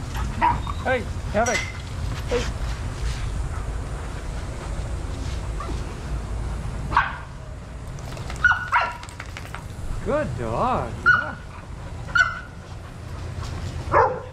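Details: Adoptable shelter dogs playing together at a daycare give sharp, harmonic barks and yips in bursts, some short and single, others in quick clusters, spaced a second or more apart over a steady low rumble.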